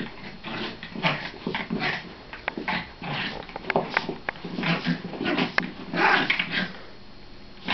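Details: Dogs at home play fighting, trading a steady run of rough growls and snarls mixed with higher whimpering yelps, with thumps of scuffling throughout.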